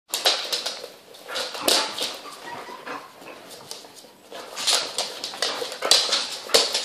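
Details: Twelve young puppies playing with their mother dog, giving bursts of high, squeaky yips and whimpers in quick irregular clusters, with quieter scuffling between the loudest flurries.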